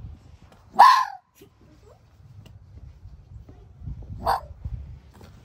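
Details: A male fox in a fox yard gives alarm barks aimed at a rarely seen visitor to warn him off. There are two sharp, harsh, screaming barks about three and a half seconds apart over faint low rumbling background noise.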